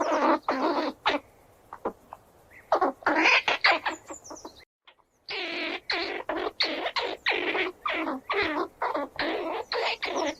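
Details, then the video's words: Running squirrels give strings of grating squeals, about two or three bursts a second. They pause for a moment midway, then resume steadily through to the end. "Sonido de la ardilla// Squirrel sound // They squeal and run around"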